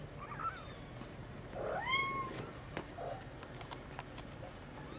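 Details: Brown mackerel tabby and white male Maine Coon kitten, still dependent on its mother, meowing to beg for attention; one clear rising then level meow with harmonics near the middle, a few faint higher calls, quiet room noise.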